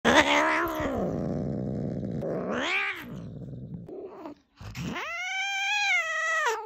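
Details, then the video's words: Angry cat producing drawn-out wavering yowls: a low moaning growl that dips and swells, then a pause and a long, high, rising wail held steady before cutting off. "Horror cat sound || angry cat sound"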